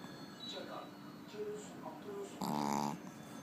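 A Pekingese snores, with one loud, buzzy, nasal rasp after a stretch of quiet breathing.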